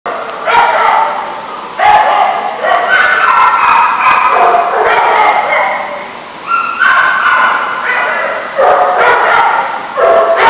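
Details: Several dogs at a boarding lot barking over one another in a continuous, overlapping chorus of sharp, harmonic barks, with brief lulls near two and six seconds.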